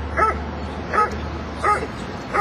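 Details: Dobermann barking during protection work at an IPO-1 trial, Kinodrom-2008: four loud, harmonic barks spaced about 0.7 seconds apart, with a low steady hum in the background.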